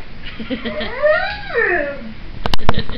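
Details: A pet pit bull howling indoors with a bluesy, singing voice: a long wavering tone that rises and falls in pitch over about two seconds, followed by a few sharp clicks or knocks.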